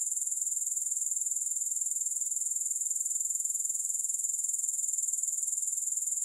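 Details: Unbroken, very high, hissing trill from grasshoppers, no music added; fine rapid pulses repeat evenly at constant loudness throughout.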